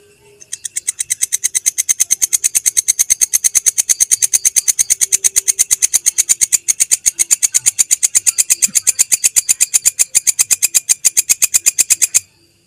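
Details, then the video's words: Belalang kecek grasshopper, recorded as masteran audio for training songbirds: a long, steady train of dry, rapid ticking pulses, high and buzzy, running unbroken for about twelve seconds before stopping abruptly. "MASTERAN SUARA BELALANG KECEK, Jernih Panjang"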